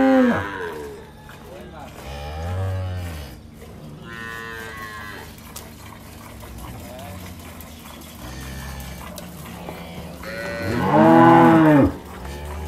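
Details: Dairy cows in rural El Salvador, milkers giving 15 to 20 bottles a day in a tough season: a low moo early on, quieter lowing, then a loud arched bellow near the end.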